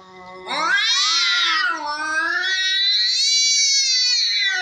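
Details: Fighting cats give a low growl that bursts into one sustained, harsh, wavering yowl. The yowl dips in pitch, then climbs higher and holds until it cuts off abruptly.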